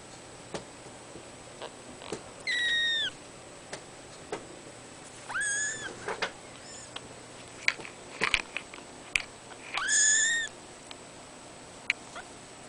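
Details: Cattery kittens born 03/12/2011 mewing: three high, thin, slightly downward-bending cries spread across the stretch, with soft clicks, taps and rustling between them in a quiet room.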